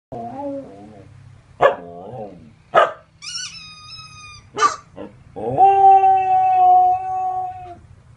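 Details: A Samoyed imitating a chicken toy: a mix of short squeaky yelps and a long sustained wavering howl, with sharp high toy-like squeaks between.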